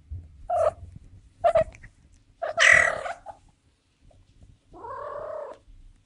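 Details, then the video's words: Young female cat in heat yowling: three abrupt, harsh, loud cries, the third the strongest and rising into a shrill edge, then after a short pause a softer, steady, drawn-out moan. "Young Female Cat In Heat SOUND Effect"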